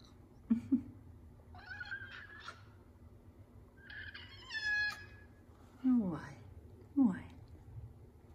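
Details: A Savannah cat indoors, called repeatedly by its owner, gives short descending meows with bright harmonics. Some cries are higher and drawn out, others low, sliding downward. The owner's voice is heard between the calls.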